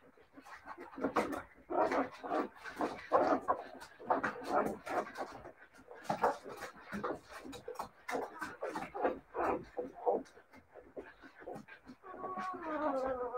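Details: Siberian Husky puppies indoors, a busy stretch of short yips, whimpers and scuffling, ending in a drawn-out harmonic whine, with human voices talking throughout.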